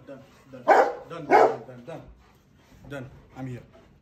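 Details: Rottweilers greet their owner returning home from the grocery store: one gives two deep, loud woofs, followed by softer vocal sounds while a person speaks.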